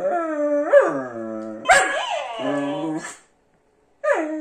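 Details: Whippet named Jonak, nicknamed Jojo, in a back-and-forth with a dancing cactus toy called Jean Jacques: drawn-out, yodelling howl-whines with rising and falling pitch, two long phrases, a pause, then another starting.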